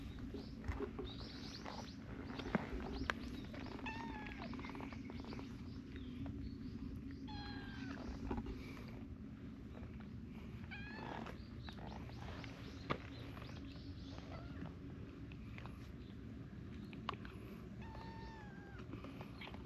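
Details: A small tortoiseshell kitten and affectionate adult cats crowd together. Several short, soft meows are scattered throughout, some bending upward and others dropping, over a constant low background hum with occasional clicks.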